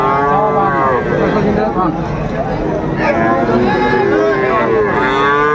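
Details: Friesian and crossbred heifer calves at Raniganj cattle market, Dinajpur, on 12 July 2024: loud, drawn-out moos with rich harmonics, several overlapping calls rising and falling, over a busy market hum with human voices.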